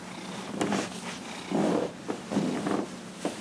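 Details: Dillard, a 15-and-a-half-year-old domestic cat, purring while being massaged on January 31, 2018; a low steady hum is broken by louder rustling bursts of handling and rubbing.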